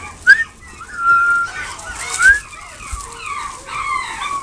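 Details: Long-coat Chihuahua giving thin, whistled whimpers: a sharp squeak, then a long level tone and a rising squeak, followed by softer broken whines over faint room noise.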